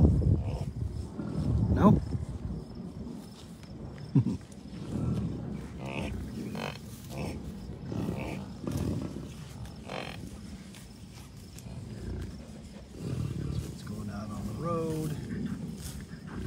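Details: Low, rough grunts come from an American bison herd with cows, bulls and many calves at a Colorado wildlife refuge north of Denver, on June 2, 2022. Irregular bursts mix with a man's voice, gusty wind and faint music.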